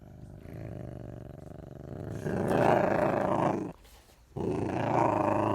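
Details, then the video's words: Ocelot giving a low, rapidly pulsed rumbling sound, about four beats a second, swelling louder after two seconds, with a brief pause near the fourth second before the rumble resumes. "The sound of a Ocelot"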